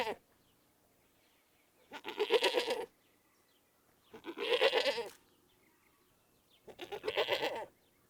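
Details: Goat giving three wavering, nasal bleats about a second long, separated by quiet pauses of two to three seconds, with faint background noise.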